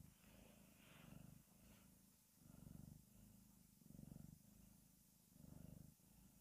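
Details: A cute domestic cat purring in slow, swelling waves, each low rumbling burst rising and fading roughly every one and a half seconds, with faint hiss and soft background noise.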